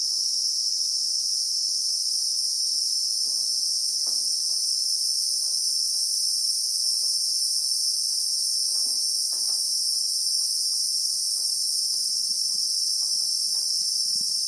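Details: Christmas beetles, the South African name for cicadas, in the South African bushveld among acacia trees, recorded in real time: a steady, shrill, unbroken high drone from many insects, with faint low clicks and rustles scattered beneath.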